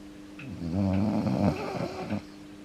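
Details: Yuki the Akita, getting older, snores noisily once asleep, head on a foot: one long, rumbling, rattling snore lasting over a second, over a steady background hum.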